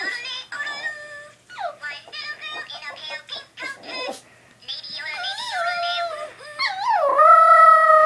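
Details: Pet female dog gurgling at her toy billy goat, indoors: a run of quick stuttering, wavering tones, then long, richly layered moaning notes that slide up and down, ending in a drawn-out warble.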